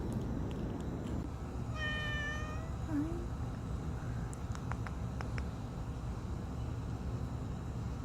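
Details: Injured stray cat called Rangrang, a regularly fed street cat, November 2018: one drawn-out harmonic meow of about a second, level then slightly falling, over a steady low rumble with a few faint clicks afterward.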